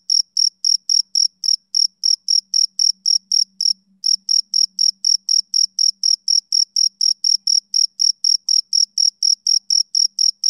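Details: Continuous shrill chirping of a male cricket, about four pulses a second, briefly interrupted near the middle before resuming, with a faint low hum underneath.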